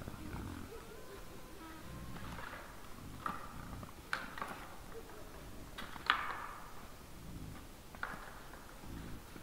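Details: Wild boars in front of a deer camera on 17 December 2022 at 20:17 make soft, purring grunts, broken by several sharp clicks and knocks over a muffled low hum.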